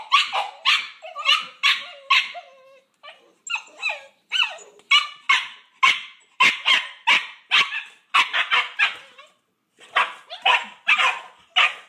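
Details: Squabbling Boxer puppies Paizley and Pepsy, brindle female and fawn male littermates from Bonney Lake, WA, fight over a pig ear; a long, near-continuous run of sharp high-pitched barks and yips, with a brief lull midway.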